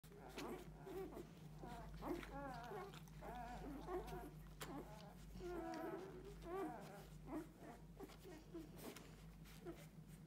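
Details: Six-day-old Golden Retriever puppies nursing from their mother squeak and whimper in short, high, wavering cries over a low steady hum.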